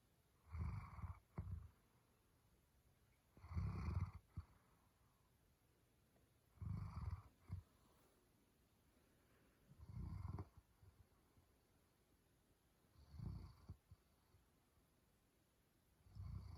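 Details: German Shepherd asleep and snoring: six low, rough, rumbling breaths repeated roughly every three seconds, each swelling briefly and followed by a short snort-like catch, with quiet hiss between them.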